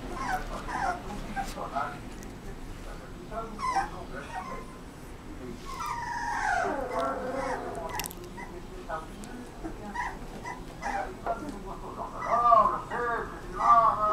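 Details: Rottweiler puppy whimpering in thin, wavering high whines that rise and fall, strongest midway and near the end, with human voices talking throughout and a low background hum.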